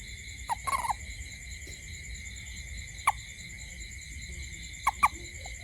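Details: At night around a home, a toad produces brief croaky notes, first a quick stuttering burst, then single and paired chirps a couple of seconds apart, against a continuous buzzing insect chorus.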